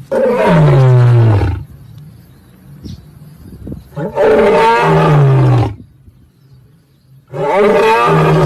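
A lion gives deep, rumbling roars, each lasting over a second, separated by short pauses.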